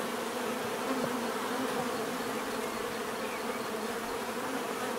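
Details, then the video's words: Crowd of bees producing an even, continuous drone, fuzzy and layered, with a small flicker of a nearby wingbeat early on and otherwise unchanging loudness. "bees therapy relaxing natural buzzing sound"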